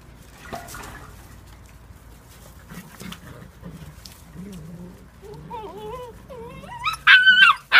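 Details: Eight-week-old whippet puppies playing wildly together, giving low murmuring grumbles that build into wavering whines and rising yips, ending in a loud, sharp high-pitched yelp burst.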